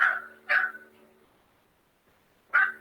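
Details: Anxious little Pomeranian barking in protest after someone has left the house, panting and pacing; stressed, high-pitched barking. Three sharp yapping barks: two close together, then one more after a two-second pause, over a steady low hum.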